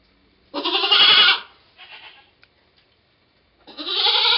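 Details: Nanny goat delivering twins, 2/11/11; one long, loud, quavering bleat, a soft shorter grunt-like cry after it, then a second rising bleat after a pause.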